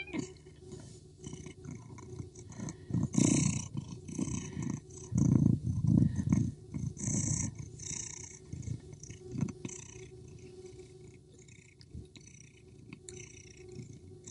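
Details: Street fight as a male Persian cat constantly chases a female cat, who fights back aggressively; loud, heavy, throaty growls come in repeated surges for several seconds, then a quieter stretch of rough rumbling.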